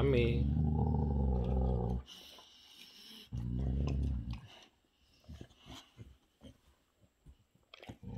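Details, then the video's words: Boxer Rex, the big brother, growls low and rumbling in two long bursts while enjoying his special treat, irritated by little brother Sammie; a person says "Stop it" and chewing clicks follow. "Little Brother Sammie Irritates Big Brother Rex Enjoying His Special Treat."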